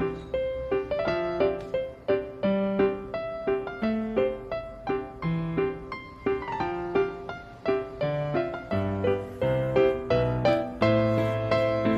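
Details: Steady piano music with repeated chords and a simple melody throughout, with no animal sound.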